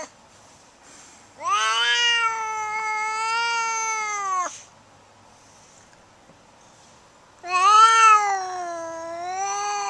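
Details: Indoor Siamese cat, overstimulated after being patted with a foam sword and turning to attack, lets out two long, loud, steady yowls of about three seconds each, separated by a pause of near silence.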